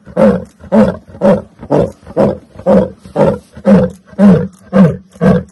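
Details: A lion gives a long series of deep, breathy grunts, eleven in total, spaced about half a second apart in a steady rhythm. Each grunt is loud and booming, and there is almost no background noise.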